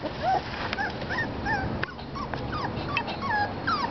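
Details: Parson Russell Terrier puppies, five and a half weeks old, giving thin, high whines and whimpers that bend up and down, overlapping in quick succession over steady background hiss.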